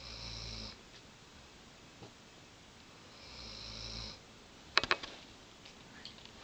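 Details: An exhausted Weimaraner mother, who whelped puppies days earlier, snores in slow, raspy breaths a few seconds apart as a puppy climbs over her head.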